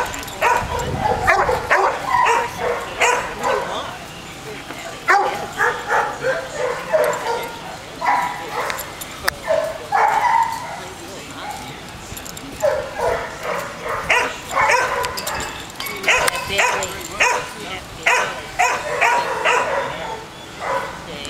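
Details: Red and white terrier at a county animal control shelter in Newnan, Georgia, barking in rapid bursts, with many other dogs barking in the kennel and voices mixed in throughout.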